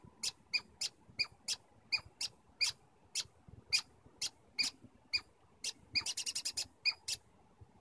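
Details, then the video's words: Squirrels communicating in Stanley Park: sharp high squeaky chips repeated at irregular intervals, about two per second, with a fast burst of rapid chips near the end. "Stanley Park Squirrels Communicating"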